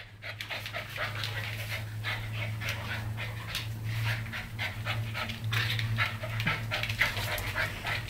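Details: Dogs Riley, a 10-week-old Siberian Husky puppy, and Will, a one-year-old German Shorthaired Pointer, play-fighting at home over who is alpha; quick, even panting breaths in steady rhythmic bursts over a constant low hum.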